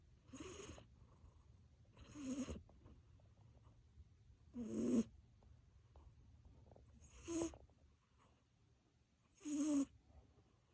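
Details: Achilles the cat in deep, dreaming sleep after playtime, snoring so loudly it resembles a roar: five strong, rasping, breathy snores about every two and a half seconds, each with a low growly core.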